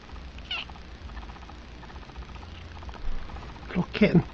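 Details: Little kitten hiding in a dresser drawer gives a short, rising meow near the end, after faint murmuring and soft human speech nearby.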